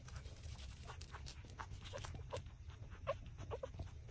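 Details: Six-day-old puppies suckling at their mother's teats give a few faint, short squeaky whimpers late on, mixed with soft wet sucking clicks over a steady low rumble.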